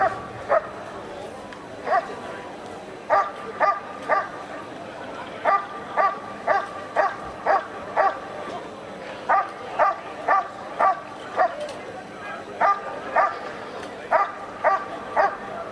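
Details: Dog barking during the protection phase at the NIAK 2017 dog sport trial, scoring 93 points as vice champion; sharp, loud barks come in quick bursts of two or three, roughly two per second, with a faint murmur of people behind.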